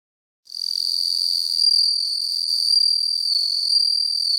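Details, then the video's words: Bell cricket (Homoeogryllus japonicus) filmed up close with a macro lens, starting after a brief silence: a pure, high ringing trill with a steady tone and faint shimmering pulses, continuing strongly to the end. "スズムシ(Homoeogryllus japonicus)の鳴き声"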